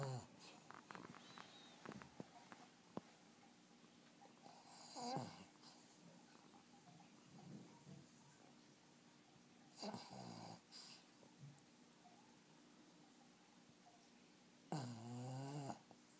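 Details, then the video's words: Black pug snoring heavily while asleep indoors: rough, buzzy snores roughly every five seconds, each a harsh grinding burst with a rasping edge, soft breathing and small clicks between them. "黒パグ いびき"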